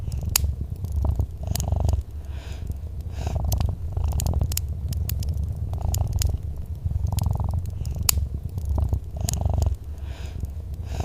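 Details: Soft, continuous cat purr, deep and rumbling, pulsing gently in breath-length waves while a crackling fireplace snaps and pops throughout.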